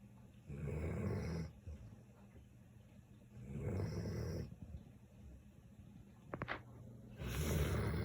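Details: A Samoyed snoring: low, rasping breaths of about a second each return roughly every three seconds, with quiet pauses between them.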